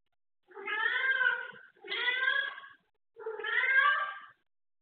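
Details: Cat playing with textile material, giving three clear drawn-out meows about a second long each, evenly spaced with short silent gaps, in a quiet room.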